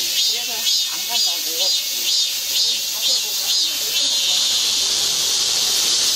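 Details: Cicadas singing in the midsummer heat in a Guro-gu park: a dense, high buzzing chorus that swells in soft pulses about twice a second, with faint voices underneath.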